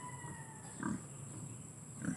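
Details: Pig giving two short, low grunts about a second apart over a steady background hum, while people talk about the price of live pigs.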